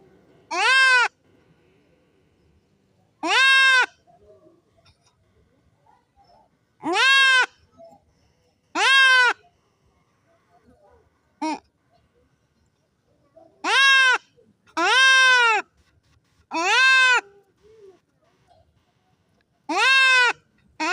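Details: Goat being castrated bleating at irregular intervals of one to three seconds: short, bright, nasal cries with rich overtones, one brief squeak among them, over an otherwise quiet background.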